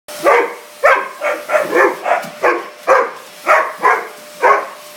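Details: Pet mastiff barking while attacking a vacuum cleaner indoors: loud, harsh barks fired in a fast, uneven series, about eleven in five seconds, each a short rough burst, with a steady mechanical hum beneath.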